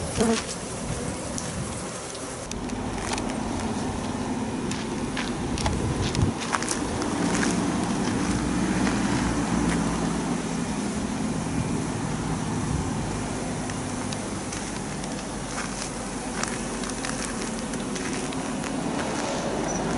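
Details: Japanese honeybee swarm of possibly thousands being caught during swarming; a constant droning buzz with a low humming band, plus sharp clicks and handling knocks.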